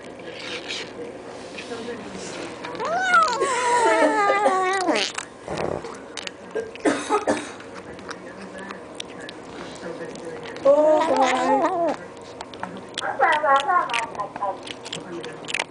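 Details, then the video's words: Eight-week-old kitten Allan makes several bursts of wobbly, high squealing while eating treats, each lasting a second or two, with a woman chatting and some shuffling noise in the background. "Cat Squeels While Eating (Kitten says yum yum yum)"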